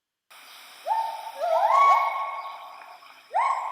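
Several Bornean white-bearded gibbons sing together, each note swooping upward and then holding a steady, ringing pitch. Two females overlap their rising calls, and another voice breaks in near the end.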